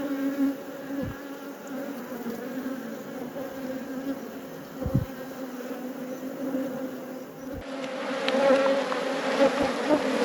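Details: Honey bees humming around a hive during an apiary inspection; a steady low droning buzz with layered overtones, brief thumps, and a denser, brighter swell of buzzing in the final seconds.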